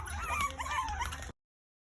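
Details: Five Shichonpoo puppies (two white, two tan, one tan and white), shown at about two and six weeks old, crying for their mother while trying to climb out of the whelping box; thin, wavering high whimpers rise and fall over about a second.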